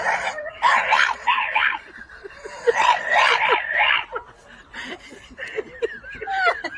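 A French Bulldog makes odd, wavering whines and grumbles in quick, uneven bursts.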